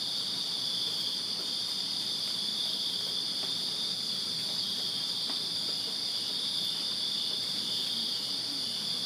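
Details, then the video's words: Crickets chirping in a backyard in Virginia on a summer night: a dense, unbroken high-pitched trill holds steady throughout, with a faint second shimmering band above it and a few soft clicks in the background. "Crickets Chirping Summer Night in Virginia"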